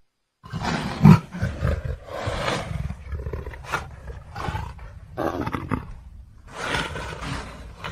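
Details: Leopard roaring: a deep, rumbling series of rough growled bursts, heavy in low tones, with a louder rasping surge near the start and several shorter breathy roars following over eight seconds.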